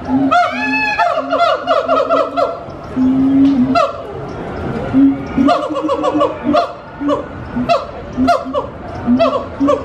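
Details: Gibbons at Disney's Animal Kingdom sing loud, energetic hoots that swoop up and down in quick repeated bursts.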